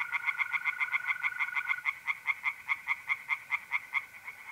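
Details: Tree frogs singing by night in a pond in north-eastern Italy in mid-April: rapid, regular pulsed croaks, several per second, over a steady continuous trill of mole crickets.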